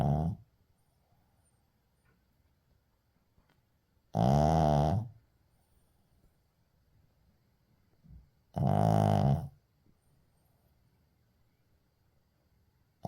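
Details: A Shih Tzu puppy snores in deep, rasping bursts, one long rumble roughly every four to five seconds, recorded 6 May 2024.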